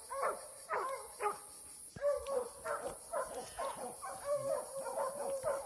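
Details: Young Plott hound, eight months old, set loose on a track during a fight, giving rapid, hoarse, rising barks in an irregular run, with short yelping notes and a constant high background hiss.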